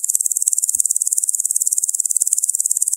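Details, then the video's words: A locust gives a high, hissing rasp in rapid pulses, about fourteen a second, steady throughout, with a few faint clicks. "Locust Sound"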